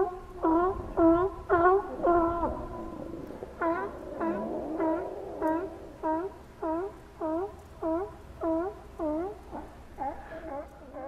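Steller sea lions giving a steady string of short, harmonic bleating calls, roughly two per second.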